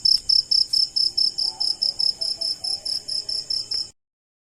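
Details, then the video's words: Crickets calling at night, a high, bright pulsed chirp repeated rhythmically about four times a second for four seconds, then stopping abruptly; no other clear sounds. "Cricket Insect Sound"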